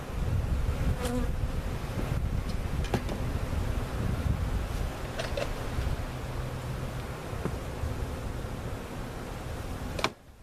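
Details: Many honey bees from a removed hive being moved to a permanent spot at Jerome Bee Farm, Central Oklahoma; an even, low droning buzz lasting about ten seconds before cutting off abruptly.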